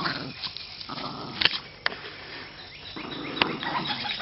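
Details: Boston Terriers at play during a tug-of-war game, June 2013, giving rough growls and huffs amid scuffling and a few sharp clacks.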